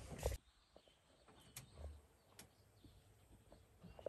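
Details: A barking deer in the wild at Bandipur, India, seen on safari, gives a single short, sharp bark over the low rumble of an idling safari vehicle.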